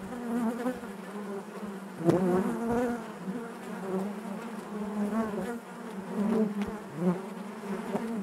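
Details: Honey bees buzzing inside their hive: a dense, steady low drone with many overlapping wingbeat tones, swelling and fading in waves, with brief louder bursts as individual bees pass close.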